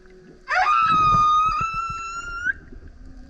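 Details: One sustained, richly harmonic moan from a singing male humpback beside a kayak opens with a quick upward swoop, holds steady for about two seconds, then ends with a slight rise. Soft water sounds fill the background.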